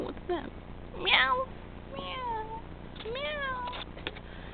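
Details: Tabby kitten Pusslin mews during play, giving three drawn-out, wavering meows about a second apart, each sliding down in pitch at the end, with faint human voices and a soft tap in the background.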